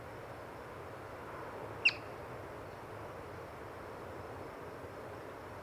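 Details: Single sharp, high-pitched chirp from a yellow-bellied marmot, seen while birding, cutting briefly through steady low outdoor hiss, with silence before and after.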